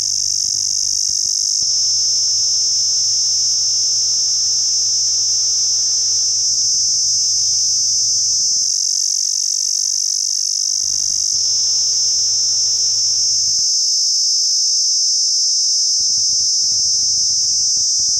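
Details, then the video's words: Cicada in Pakistan keeping up a dense, shrill, steady buzz throughout, with a low electrical-style hum and faint broadband noise coming and going beneath it. "cicada new sound video/beautiful cicada in pakistan"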